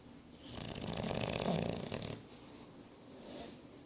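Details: English Bulldog named Boris, nine months old, snoring indoors: one long, rough, rasping breath building over about a second and a half and fading, with a softer wheezy exhale near the end.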